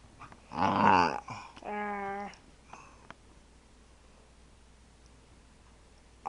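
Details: Indoors, a female Staffordshire Bull Terrier at play lets out a rough, wavering growl-yowl, then a steady, tonal whine lasting about half a second, followed by quiet and a final loud burst.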